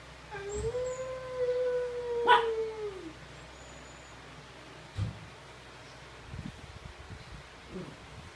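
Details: Siberian Husky, kept with a Kintamani dog, howls back at a television: one long, steady mid-pitched howl of about three seconds that sags at the end, then a sharp knock and faint shuffling in a quiet room.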